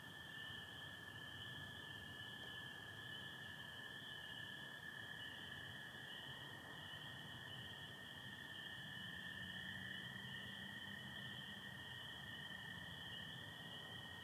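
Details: Michigan spring night chorus, 24 April 2025, of spring peepers with American toads under stars and partial overcast: unbroken high-pitched peeping and a continuous lower trill, with a faint low call drifting in midway.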